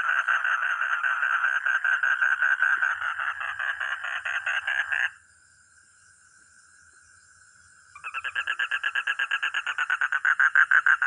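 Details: Frog or toad calling in a rapid, buzzy pulsed trill for about five seconds. It breaks off into a quiet steady tone, then resumes faster and louder. A thin high whine persists throughout.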